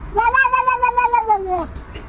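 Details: Cat giving a single drawn-out meow that holds a steady pitch for over a second, then slides downward at the end.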